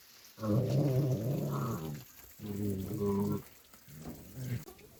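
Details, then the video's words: Three stray puppies fighting: deep, rough growls with a buzzing harmonic tone come in three bursts, the first about one and a half seconds long, the second about a second, and the last short and weaker, separated by brief quiet gaps. "Puppies Fight"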